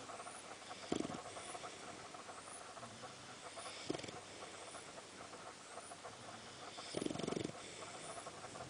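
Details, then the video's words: Boxer dog Sam sleeping in a comfy position, snoring with short rasping breaths about every three seconds, over a steady background hiss. "BOXER DOG SAM: (2) THIS IS A COMFY SNORING POSITION TOO"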